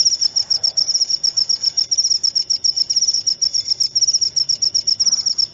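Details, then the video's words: Cricket sound for repelling rats and relaxing before sleep: a steady run of high, shrill pulsed chirps, about four per second, continuing without a break over a faint low background hiss. "Suara Jangkrik untuk pengusir tikus & therapy insomnia"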